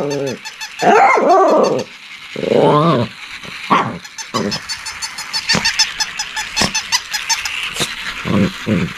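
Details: A Shih Tzu gives harsh, high-pitched barks and yappy bursts, with some rough growling between them.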